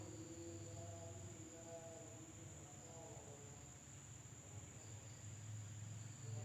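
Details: Indonesian village at night with insects keeping up a steady, high-pitched drone, lower tonal calls wavering early on, and a deep low hum rising toward the end.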